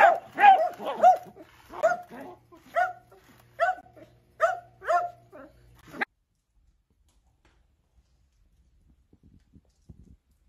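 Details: Dachshund, a playful wiener dog, giving a quick run of sharp mid-pitched barks and yaps for about six seconds, roughly two per second, then near silence with faint soft taps.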